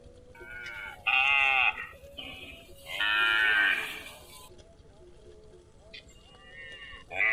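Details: Grazing cattle give a few drawn-out, nasal moos, fairly high-pitched and rich in overtones.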